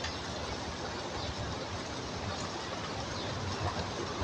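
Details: Continuous broadband rumbling noise like a passing vehicle or engine, with no animal call audible.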